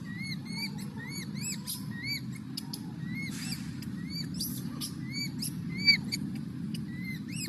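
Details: Young monkey, hungry for milk, crying and fussing: a rapid series of short, arching squeals with bright overtones, about two per second, over a steady low rumble in the background.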